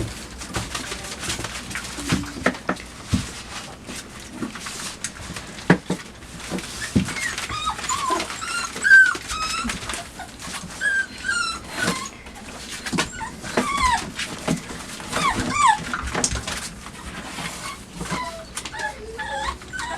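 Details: Labrador Retriever puppies aged five weeks indoors in a night pen, romping and chewing on a box; constant rustling and clattering with scattered brief high whimpers and squeaks, some rising then falling, throughout.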